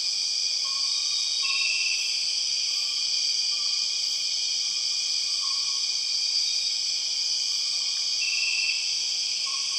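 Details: Empress cicadas in Borneo's rainforest: an intense, steady high buzzing, a brief louder swell in the drone twice, and faint short whistled notes scattered through.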